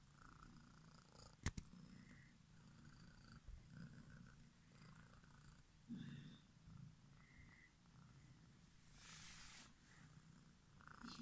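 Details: Quiet, continuous low rumbling purr from a domestic cat, with a faint click near the start and a short hiss of broadband noise toward the end.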